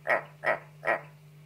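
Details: Pet frogs kept indoors, three short, evenly spaced croaks about 0.4 seconds apart, each a brief throaty burst, with a steady low electrical hum underneath.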